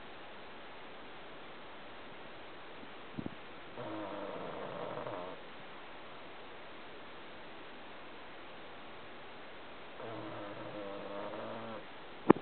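An English Bulldog snores in slow, rattling breaths, each lasting over a second and about six seconds apart.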